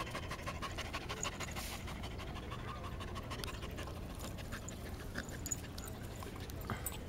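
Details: Resting Border Collie giving soft, even, rapid panting breaths, quieter and breathier, continuing without pause across the whole stretch.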